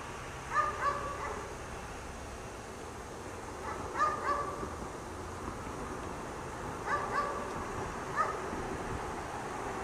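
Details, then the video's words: Chained dog left outside all day in cold snow, barking from a distance: short hoarse barks in pairs, with clusters near the start, middle and end and quiet gaps between, over a faint steady background hiss. "Dog Barks all day in the snow"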